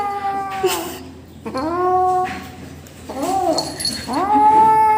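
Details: Young rescue kitten calling while taking food with a person helping; a rapid series of short, bending meows, some rising then falling, one slurred and wavering, with a brief human voice mixed in.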